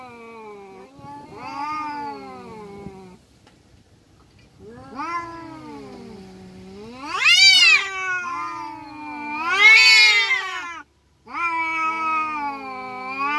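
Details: Fighting village cat yowling in long, wavering moans that climb into two loud, strained screeches, then drop back to lower drawn-out wails after a brief silence.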